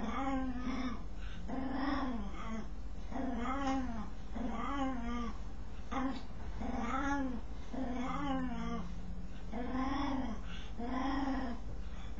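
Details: Domestic dog making a strange noise while scratching itself; low, arched, moaning groans with rich harmonics, each rising then falling, about ten of them, roughly one every second, over a steady low hum.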